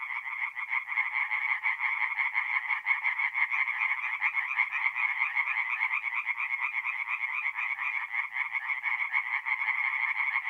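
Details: Night chorus of many tree frogs at a forest pond in north-east Italy, mid-April. Fast, raspy croaks run together without pause into an unbroken throbbing drone, rising and falling slightly in loudness.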